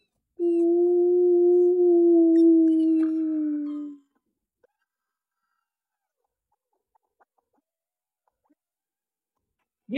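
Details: In Tulare County, California, a puppy from a litter being raised by its owner gives one long, steady howl that sags slightly in pitch over about three seconds after a small trigger from the owner, who believes dogs howl to connect with other dogs.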